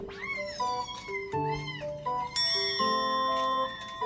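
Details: Kitten meowing from inside a box while the household Scottish Fold cats react: about four arched, drawn-out mews in quick succession over steady background music.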